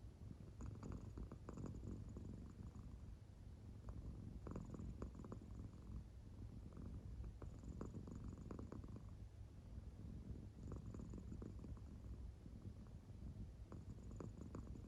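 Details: Soundly sleeping American Shorthair Claire purrs softly, her belly marking moving in time. A continuous low rumble carries repeated raspy breath swells roughly every three seconds in a still indoor setting.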